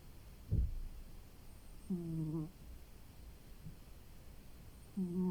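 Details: Sleeping domestic cat snoring while resting after a long day: two short, low, humming snore breaths about three seconds apart, with a soft thump near the start and quiet background hiss.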